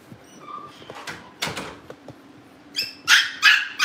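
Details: Cavalier King Charles Spaniel puppies at a family home, with one pup wanting to get into the living room. After quiet rustling and scattered clicks, three sharp, high-pitched yips come in quick succession at the end.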